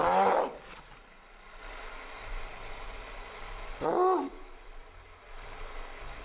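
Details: Chihuahuas barking in reaction to helicopters: two short, harsh, harmonic barks, one at the start and another about four seconds later, set against a steady low rumble of engine noise.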